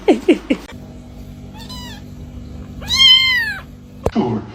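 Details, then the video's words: Pet cat from a comic cat compilation meowing: a quick run of three short low calls, then a thin wavering meow and a louder drawn-out arched meow near the end, over a steady low hum. "funny cats talking"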